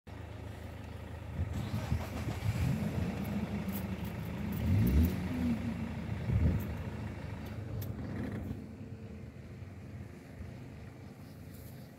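Only the low rumble of an idling vehicle engine is heard, with no clear animal call.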